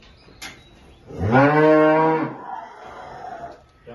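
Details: Holstein cow with calf at milking time on a farm in El Salvador, a cow that has calved for the second time; one loud, rich moo with stacked harmonics lasting about a second, with quiet background noise before and after.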